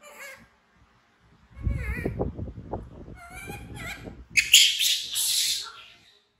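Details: Frightened baby monkey BEAN, an orphan taken from the jungle by villagers, cries out before running to hug Poppy Brown: wavering harmonic whimpers at first, then loud, harsh, high-pitched screams lasting over a second, with low rumbling handling noise between.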